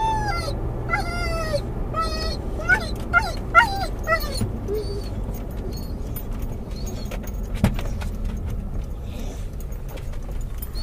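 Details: Doberman/collie cross dog, muzzled inside a car, calling for his lost toy as it is approached: a run of high, wavering whimpers and short yips in the first half, then quieter, with a steady low engine rumble throughout.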